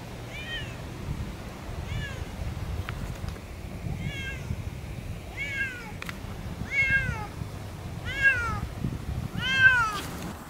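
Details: Off-leash Siamese cats Otani and Yozora on a long meadow walk; a steady series of eight harmonic meows, each bending down in pitch, roughly every 1.3 seconds, with a few clicks and low outdoor noise.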